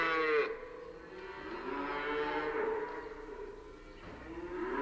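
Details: At a stockyard, several cattle moo in long, drawn-out, overlapping lows, one voice after another.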